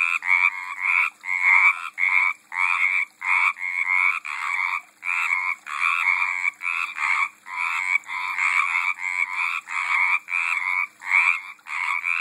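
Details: Repeated raspy, pulsing croaks from frogs in a pond in 2012, bursts coming about every half second in an uneven rhythm, nearly a hundred per minute, with no other clear sounds.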